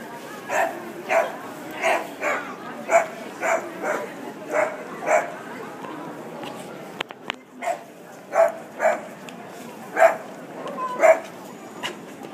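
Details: A dog in Chester town barks at a fake dog made of sand, a steady string of sharp, mid-pitched woofs about half a second apart.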